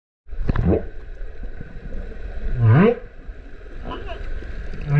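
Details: Humpback whale song recorded underwater in the Kerama Islands off Okinawa, where whales come in winter to spring for breeding, with a mother and calf present: rising moaning whoops climbing from low to mid pitch, with faint higher chirps between.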